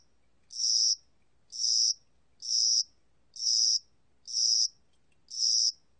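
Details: Cricket heard in spring and summer, recorded by the National Institute of Biological Resources in 2020: six high, buzzy chirps in six seconds, each a short trill lasting under half a second, evenly spaced about one per second over a quiet background.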